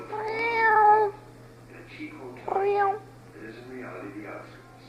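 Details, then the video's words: An angry cat gives a drawn-out, steady meow of about one second, then a shorter, wavering, rising-falling meow, with softer murmurs after. Television narration and music play in the background. "My angry cat voice"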